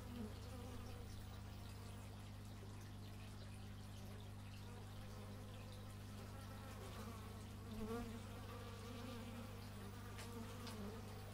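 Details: Stereo x/y-microphone recording of bees outside: a layered, shimmering buzz of several insects, with pitches sliding as individuals come near and move off, backed by a persistent low mechanical drone from a neighbour's chainsaw or similar tool.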